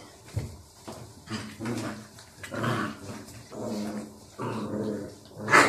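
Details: A male Barbet dog rolling around indoors gives a string of low grumbling growls, grunts and whiny moans in short bursts, ending with a sharp higher yelp.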